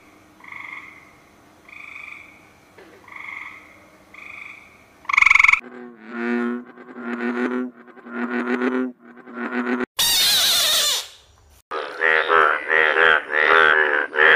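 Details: Frog calling: a run of soft paired croaks at a steady pace, then louder, rougher pulsed croaks in quick series, a brief burst of noise, and a final cluster of harsh, rapid croaks.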